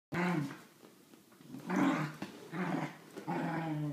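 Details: Dillon, a Wheaten Terrier, with his favourite toy monkey: a low, rumbling growl in an opening burst, then two more strong growls around the two- and three-second marks, each with a rough, buzzy edge.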